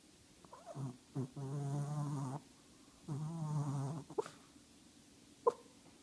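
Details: An 8-pound Shih Tzu snores while asleep and dreaming. Two long, loud, droning snores, each about a second and a half, have a steady low hum with a nasal buzz. Soft short snorts and clicks come between and after them.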